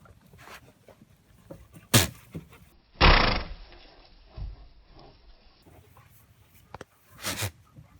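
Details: A young goat and its mother with the sneezes, the youngster walking over to another goat to sneeze in her face. Sharp, broadband bursts near two, three and seven seconds, with softer snorts and shuffling in between.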